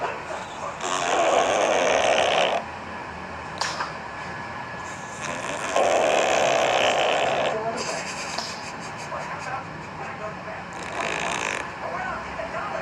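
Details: Sleeping cat snoring: breathy, rasping snores about every five seconds, each lasting one to two seconds, with quieter breaths between over a steady low room hum.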